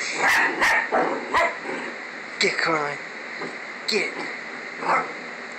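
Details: Pet dog Coraline objecting to her own stuffed lookalike toy, giving a quick cluster of short barks, then scattered yips and a growly bark, with a person's voice talking over part of it.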